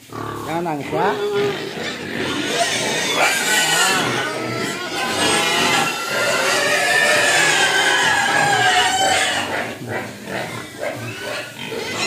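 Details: Pigs begging for food with a continuous din of high squeals and harsh cries, rapid overlapping calls, a person speaking over them.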